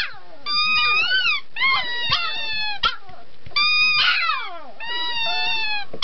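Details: Singing puppy producing quavering, tonal howls with bending pitch, alternating longer wailing notes and quick yelping slides, nearly without pause.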